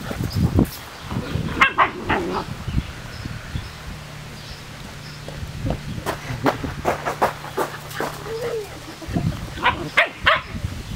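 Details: Standard Poodle puppies give short, sharp yips and squeaks scattered irregularly through the recording, over a steady low hum with occasional handling thumps and faint voices.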